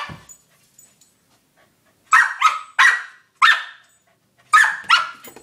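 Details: A corgi named Cooper, excited over a new toy ball he loves, gives a string of sharp barks, some doubled in quick pairs.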